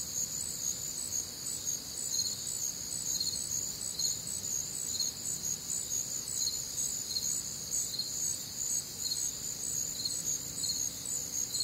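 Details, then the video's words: Warm, humid summer night in the Midwest with crickets and other nocturnal sounds; many insects chirp in a shrill, steady chorus, rhythmic pulses near two per second riding on a constant high-pitched hum. "Night Time Cricket Sounds"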